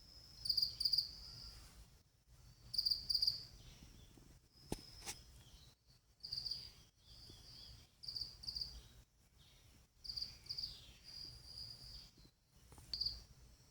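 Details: Calling partner of a female pet cricket: shrill paired chirps in uneven clusters every two to three seconds, some trailing into short trills, with soft background noise and a brief click.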